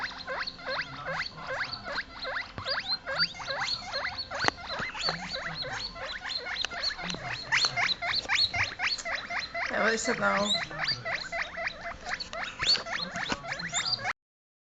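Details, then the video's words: Two baby US Teddy silver agouti guinea pigs, scared after being placed on a couch away from their mother, squeal in rapid, high, repeated bursts, screaming for her. "Cute baby guinea pigs making noise!"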